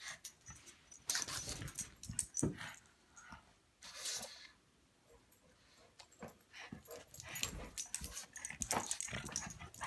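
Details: Pug Buster tussling playfully with English mastiff Patton: harsh snorting huffs and growly bursts come in clusters, with a quiet lull midway before the noisy scuffling picks up again.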